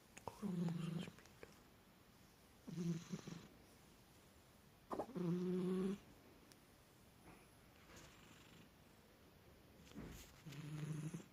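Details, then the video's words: Pet cat snoring indoors; low, buzzy, droning snores lasting about a second each, coming roughly every two to five seconds, with quiet room hiss between them. "кот храпун"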